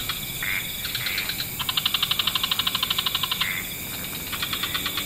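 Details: Frogs of many kinds in an evening wetland: a sustained train of rapid pulses lasting nearly two seconds, several short rising trills before and after, then another pulsed run starts near the end, over a steady hiss.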